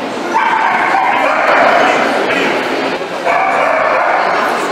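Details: Miniature wire-haired dachshund whining in high, drawn-out tones around a noisy indoor background, with long whimpering notes repeated in bursts and human voices mixed in.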